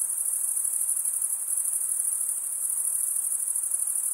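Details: Continuous shrill cricket chorus: males rub serrated wing veins together, producing a fine, rapidly pulsing high trill at steady volume, nothing else audible.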